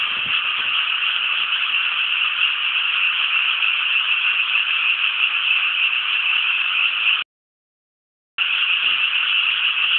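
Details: Rice-paddy frogs around Inasato, Nagano City, Japan, in full chorus: a thick, rapid rattling of countless overlapping croaks, broken by a sudden silence of about one second before resuming just as dense.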